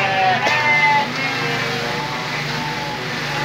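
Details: Sheep during evening feeding in Indonesia, giving wavering harmonic bleats in the first second, then fainter tonal calls, over a steady engine-like hum and background noise.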